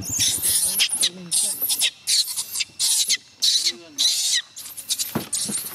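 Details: Young chimpanzee Gina crying and refusing to let her carer go home, begging her to stay; harsh, high-pitched screaming bursts repeated about every half second, with brief gaps between cries.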